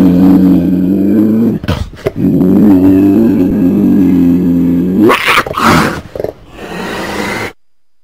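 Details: Cougar growling with a low, steady, rumbling tone held for several seconds, broken by short breaths, then rougher snarling bursts before it stops.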